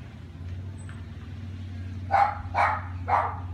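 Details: A neighbour's dog barking three times in the last1.5 seconds, short harsh barks about half a second apart over a steady low engine-like hum; quiet before the barks.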